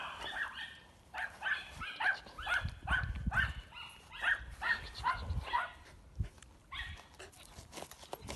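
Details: Young Border Collie at an albergue shelter, one of two puppies found alone in the fields of Villarobledo, lively and playful; a quick run of about a dozen sharp, mid-pitched barks, a short pause near six seconds, then a few more barks.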